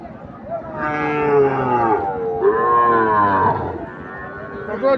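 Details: Sahiwal bull calves offered in pairs at the Ambari market on a Monday. Two loud, drawn-out moos come back to back, each over a second long with rich harmonics, above murmuring buyers and sellers.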